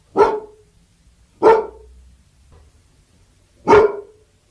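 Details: Labrador Retriever barking: three sharp, loud barks spaced irregularly over a few seconds, each one a brief harsh burst with a faint low hum between them.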